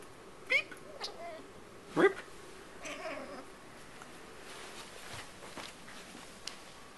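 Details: Female Tonkinese cat talking indoors, two short rising meows close together in the first two seconds, then faint murmuring and quiet room sounds.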